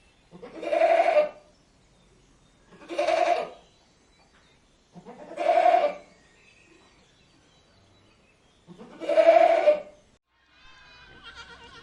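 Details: Goat repeating a short, throaty "maa" bleat four times, about every two seconds, each call rising then fading, with a fainter higher call at the end.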